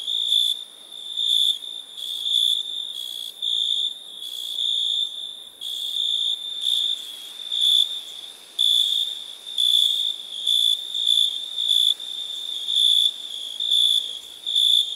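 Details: Nighttime crickets giving a continuous shrill trill, rising and falling in volume in roughly one-second surges, several insects overlapping into a steady chorus over soft background noise.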